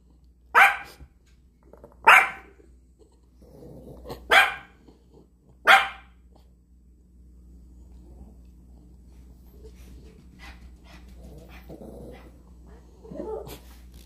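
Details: Yorkshire terrier barking, four sharp, high single barks about every one and a half seconds, then quieter whines and faint yips against a steady low hum.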